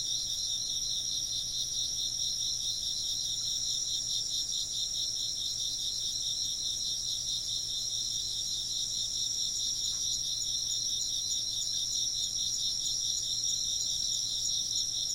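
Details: A long, even run of insect chirping: bright, high trills pulsing steadily in stacked bands, a dense chorus that never drops out, with a soft low hum beneath.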